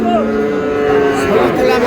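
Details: Sahiwal bull at a cattle market in Madaripur, Bangladesh, on 14 May, a top animal of the market bought by a farmer. It gives a steady, low, drawn-out moo held for the whole moment, with people haggling and chatting nearby.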